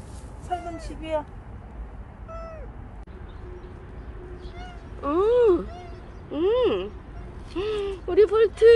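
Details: Stray cat Bolt, which lingered with its carers for a year and five months, gives soft early meows, then a run of loud, rising-and-falling meows in quick succession toward the end.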